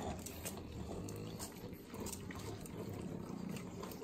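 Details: Three pug dogs eating butter in Southern California's Inland Empire. Sloppy, wet licking and smacking come as quick clicky bursts over a low snuffling, snorting undertone.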